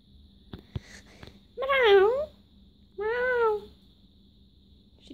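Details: Daisy, a farm kitten, meows twice: a drawn-out wavering cry that dips and rises, then a second steadier meow about a second later, over a low steady hum with faint indoor noise.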